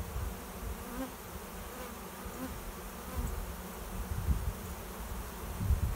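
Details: Swarm of honey bees arriving at a swarm trap behind a garage, a cloud of bees flying overhead while seeking a new home; a steady low, dense humming drone with gentle swells in loudness throughout.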